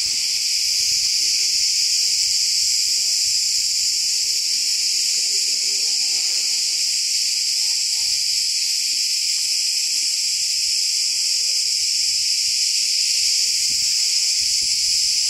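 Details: Loud cicada chorus in a section of forest in Turkey: a dense, unbroken high-pitched buzzing that holds steady throughout, strongest in the upper register, with only faint low rustles beneath.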